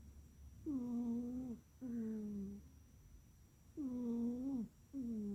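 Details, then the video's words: A pet cat sleeps indoors and snores: four tonal, nasal snores, each about a second long with a slight rise and fall, separated by short quiet breaths, in a quiet room. "Our kitty snoring."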